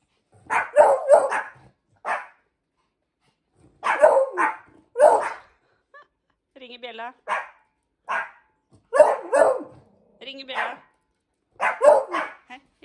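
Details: Indoor bell-ringing lesson for Hendo the Pomeranian puppy and Salto the beagle: repeated clusters of quick barks throughout, mixed with a woman's encouraging Norwegian words and a brief rising whine-like vocal.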